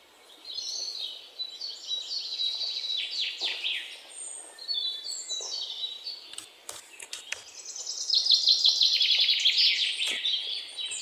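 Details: Indian palm squirrel, known locally as ලේනා, giving fast runs of sharp high chips that swell into a loud, rapid trill near the end, with other twittering chirps and sweeping notes throughout.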